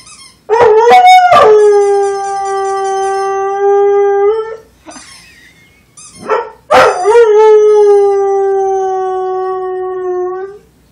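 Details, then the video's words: Singing Rhodesian Ridgeback gives two long, level howls, each about four seconds. Each begins with a quick yelping catch, then holds a smooth tone that sags slightly at the end, with a brief quiet whine in the gap. "Rhodesian Ridgeback singing"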